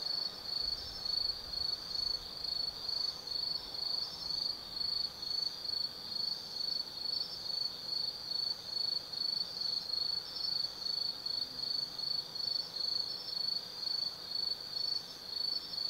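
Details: Autumn insects chirp steadily at night in high, rapid pulses, over two per second, in the forest at Tsukimi-no-Mori, Kaizu, Gifu, Japan, near a lookout 180 m above the lit Nobi Plain.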